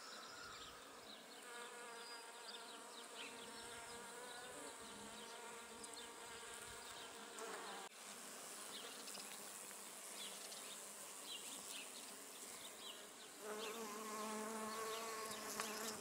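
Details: Bee foraging on flowering Judas tree, a continuous droning buzz with stacked harmonics that grows louder near the end as the insect comes closer, with high chirps of birds behind.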